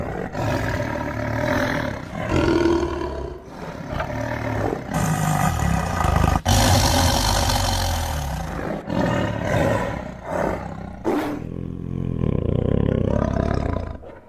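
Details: Tiger giving long, deep roars that run almost continuously, rough and throaty with occasional breathy rasps, swelling loudest around the middle and again toward the end, with a few sharp cuts between passages.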